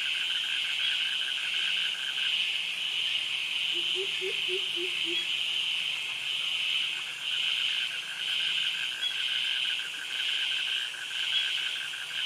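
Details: Continuous high-pitched buzzing of cicadas in tropical forest and mangrove vegetation at Krabi, Thailand, swelling and fading in waves, with a lower rapid pulsed trill from crickets and a brief short run of low notes midway.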